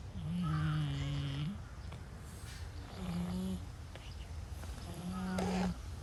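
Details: Brown-and-white stray cat snoring loudly while asleep: three low, droning snores, each steady and about a second long, with faint breathy noise between them.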